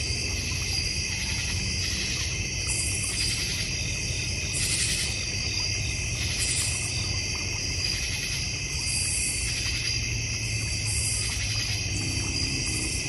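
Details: Cricket chorus from a North Georgia Mountains backyard: sustained high, ringing trills stacked in several layers, gently pulsing throughout, over a steady low hum.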